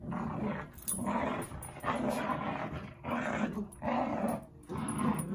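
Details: Two dogs at play give low, raspy growls in surging bursts of about a second each with brief gaps, and faint rustling between them.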